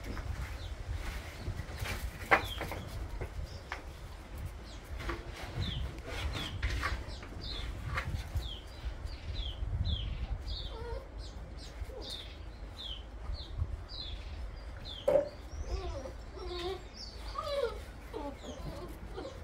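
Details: A new litter of Bernese Mountain Dog puppies, September 2023, gives many short high squeaks and thin curving whimpers scattered throughout, some sharper cries near the end, over a low steady rumble with occasional knocks.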